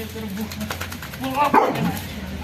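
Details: A Rottweiler, hyper after a bath, lets out one sharp, gruff bark with a brief harmonic yelp at its peak, while quiet human talking runs underneath before and after.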